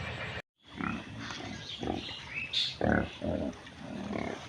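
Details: Village pig grazing in mud, giving a run of deep, throaty grunts in quick succession, each short and rough, with a brief dropout near the start and faint higher chirps behind.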